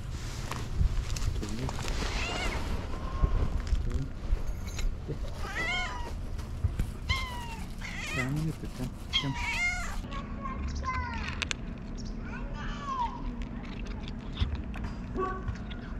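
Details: A fluffy female tabby cat named Whisskas meows repeatedly: short arched, nasal mews, roughly one every one to two seconds, some rising and falling, a few clipped and squeaky, over low background hum with some faint voices.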